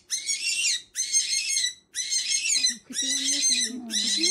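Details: A pet rabbit at its first veterinary checkup gives harsh, breathy, high squeals about once a second as a person speaks softly; a breeder said it was frightened by dog and cat smells, not in pain.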